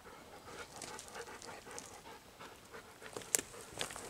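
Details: Golden Retriever panting on a rough walk through a hinoki cypress forest, one of two dogs, Kohaku and Ibuki; soft breathy huffs repeat about three times a second, with a couple of sharp snapping clicks near the end.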